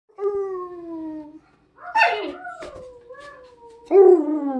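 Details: Siberian Husky howling and talking: a smooth slowly falling howl, a pause, then a burst of wavering, yodel-like vocal sounds ending in a loud falling howl, with no other sounds.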